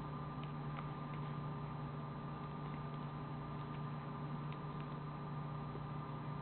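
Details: Low steady hum and faint ticking fill a quiet indoor room, with no animal voice heard.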